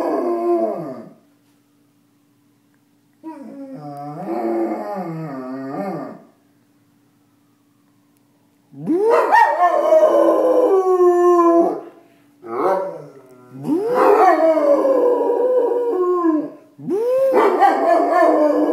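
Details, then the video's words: Chewie, a pet dog, howling in response to sirens: loud wavering howls that rise then slide down, delivered in four or five bouts of a few seconds each, separated by brief silences, with rough growly edges at times. "Chewie howling at sirens"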